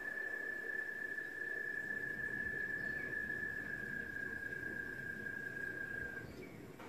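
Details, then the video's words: An American toad at a nature-centre habitat pond, picked up by a parabolic microphone, gives a long, steady, high musical trill holding one pitch for about six seconds. "American toad in Anita Purves Nature Center habitat pond."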